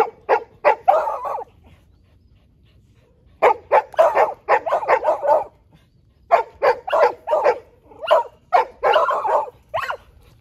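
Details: Several dogs gather at a fence, one of them ignoring it, and bark in rapid bursts of sharp, loud yaps, three volleys about three seconds apart with short silent gaps between them.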